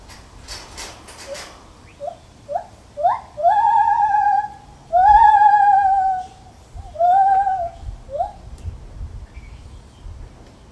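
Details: Lar gibbon in a zoo giving a series of clear, pure hoots that rise in pitch, starting as short notes and stretching into longer, quavering wails with overtones, spaced about a second apart, over low background rumble.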